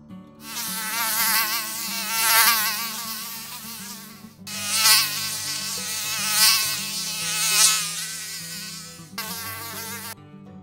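A mosquito's high, nasal whine from its beating wings rises and falls as it passes near. The buzz comes in three long bursts separated by brief silences, with a faint low hum beneath.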